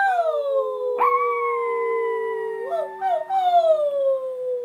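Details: Steady, drawn-out howl from a Pomeranian during training to howl, broken by sharp upward yips near the first and third seconds before it settles back into a falling tone.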